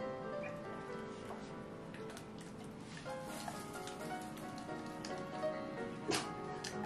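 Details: Music with steady tonal notes plays over a soft patter like rain, with no animal voice standing out.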